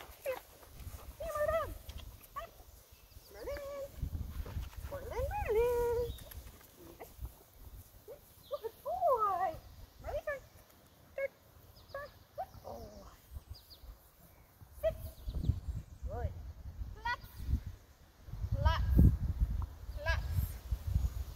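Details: Cane Corso named Merlin performing its "Casanova's Mustang Song": a long series of whined, yodel-like tones, rising and falling and bending, in bursts separated by short pauses, over low rumbling background noise and occasional thumps.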